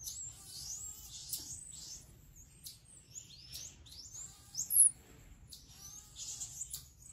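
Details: Pygmy marmoset giving a string of very high, thin whistled calls that sweep up and down, repeated irregularly over a low, steady background rumble.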